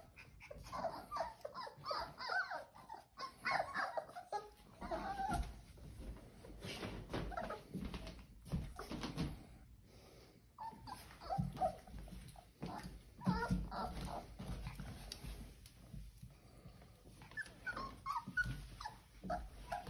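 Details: Four-week-old Old English Sheepdog puppies from Ellie's litter, born 10/23/22, eat a snack from a muffin tin; scattered high, wavering whimpers and squeaks rise over steady chewing, lapping and shuffling noises throughout.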